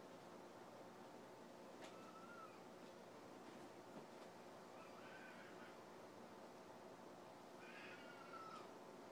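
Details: A domestic cat described as completely mental gives two drawn-out, slightly falling meows, one early and a stronger one near the end, over a steady hiss of background noise with a few faint clicks.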